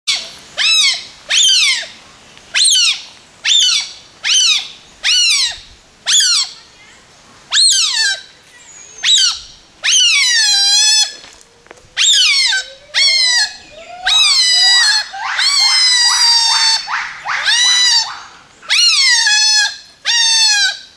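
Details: At a wildlife rescue centre in Thailand, otters give shrill, downward-sweeping squeals in quick succession, eager for their meal.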